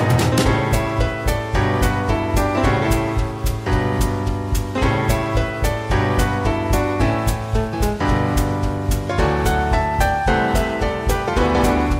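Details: Upbeat jazzy instrumental music with steady drums, piano and bass fills the whole stretch.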